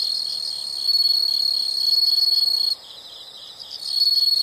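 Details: Nature sound of insects: continuous shrill, high buzzing trill with fast even pulses, about four per second, dropping briefly to a quieter chirping layer before the loud trill returns.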